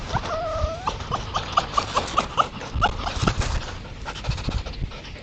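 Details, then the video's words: Red foxes playing or fighting at night at a woodland edge in East Sussex, trail camera recording: a drawn-out whine, then a quick series of sharp yipping squeaks, with low rumble and rustling beneath. "Foxes Making Strange Sounds In The Countryside"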